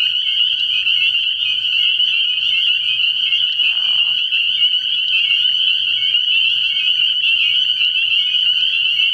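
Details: Spring peepers calling together at night from a frog pond early in the year: a dense, unbroken wall of high, shrill peeps with overlapping piping notes, a brief lower burst near the fourth second, and a faint low hum beneath.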